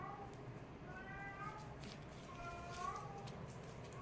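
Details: Meows from kittens in a play fight: an opening squeak, then two drawn-out calls that bend upward and fall away, heard over continuous low background rumble.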